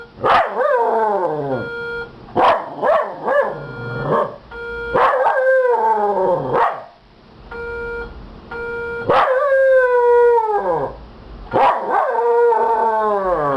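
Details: Miniature Schnauzer barking at an indoor fire alarm: repeated loud, harmonic barks and drawn-out howling yelps in bursts, while the alarm's steady electronic beeps sound in the gaps between them.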